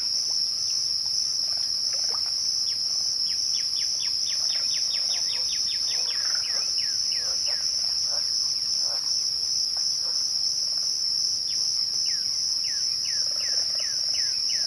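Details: Crickets chirping at twilight produce a steady, high, unbroken trill. A bird delivers a fast run of falling whistled notes, then slower spaced ones near the end.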